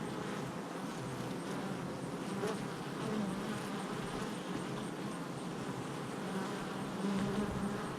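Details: Many honey bees busy at the hive entrance, recorded July 22nd, 2024; continuous overlapping droning hum, fairly even in loudness, with occasional nearer wingbeats rising above the swarm noise.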